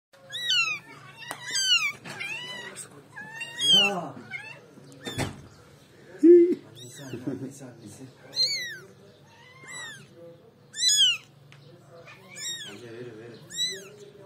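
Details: Kitten meowing in a small indoor space: about a dozen high, thin, arching meows come in bursts at irregular intervals over fourteen seconds, each sharply rising then falling, with quiet human voices talking in the background.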